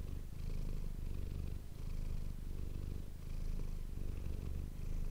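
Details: Cat Manis purring near an ASMR microphone, a soft throbbing low hum continuing through the clip with gentle breath-linked swells and brief lulls about every second and a half.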